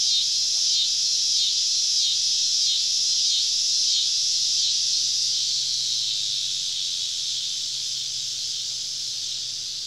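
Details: Cicadas all around a woodland campsite deep in the southern woods on a summer evening: a dense, steady high hiss with faint pulsing about four times a second, slowly fading near the end. No other clear sounds.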